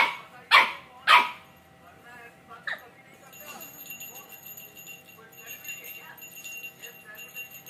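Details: A two-month-old Samoyed puppy gives two sharp, high barks in quick succession, then a smaller yip.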